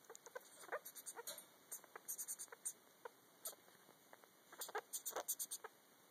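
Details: Female sugar glider named Yoruichi singing to her joey in the pouch, recorded in the dark: rapid bursts of short clicking chirps in quick clusters, pausing briefly between runs.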